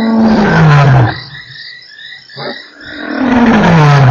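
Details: Lion roaring at Nkorho on 3 March, one of eight roars in an hour: two loud, deep moaning roars that slide downward in pitch, separated by a softer breathy grunt, with insects faintly behind.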